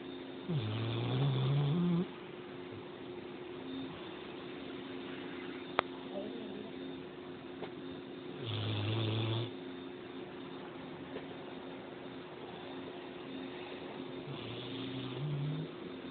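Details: Sleeping pet dog snoring indoors: low, rough, droning breaths lasting about a second each, recurring roughly every six to seven seconds over a steady background hum, with no other clear sounds.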